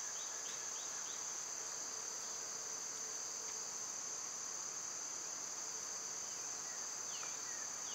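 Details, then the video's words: Cicadas in summer, when they are loud, with birds and squirrels about: a steady, high-pitched continuous drone holds unbroken throughout, while faint chirping bird notes slip in at the start and near the end. "Cicada sounds"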